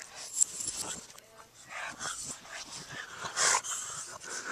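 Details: Two Boston Terriers chasing each other; one gives short, sharp barks amid scuffling and bursts of noisy, hissing sound.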